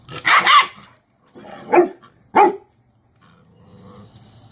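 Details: Cane Corso dam Cashmere correcting her dominant female pup, laying her down in submission posture; three loud, short snarling bursts, then a soft low rumble trailing off.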